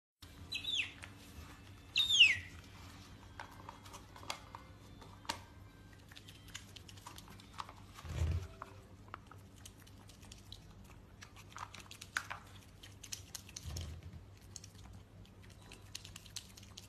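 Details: A pet otter gives two piercing, squeaky chirps, each dropping steeply in pitch within a fraction of a second, followed by scattered faint clicks, taps and a couple of dull thumps against a low hum.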